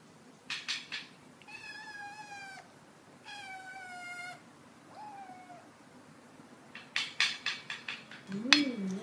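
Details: Hungry 12-week-old kitten wanting food, meowing insistently: two long, strained, harmonic-rich meows followed by a shorter, softer, falling mew, with sharp clicking and tapping noises before and after.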